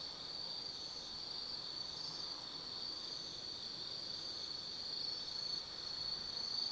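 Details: Forest insects calling on an autumn night at Tsukimi no Mori, Kaizu City, Gifu, Japan: a continuous high, even trill with faint extra chirps mixed in, getting slightly louder toward the end.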